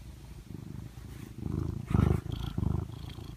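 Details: Pet cat snuggled in its owner's arm, purring in a low, pulsing rumble that swells louder with each breath midway, with faint rustling above.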